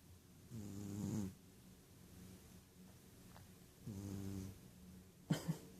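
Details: Sleeping Ragdoll cat named Rohan, a male indoor pet out cold, gives two low, rattling snores about three seconds apart. A short soft knock follows at the end.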